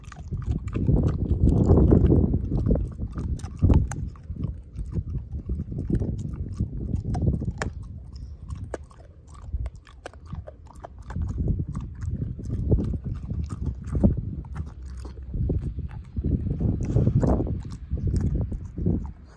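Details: Dog named Ozzie thoroughly devouring a pork steak and crushing the bone to pieces; heavy, deep chomping in rolling waves, loud crunchy surges every few seconds between softer gnawing.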